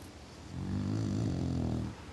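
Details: An English Bulldog asleep and snoring: low, steady rumbling snore lasting over a second, rising from near-silence and fading at the end.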